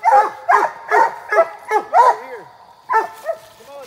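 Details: Treeing Walker Coonhounds barking at a tree while hunting: loud harmonic barks with downward-falling tails, several in quick irregular succession, about nine over four seconds, with a short pause before the last pair.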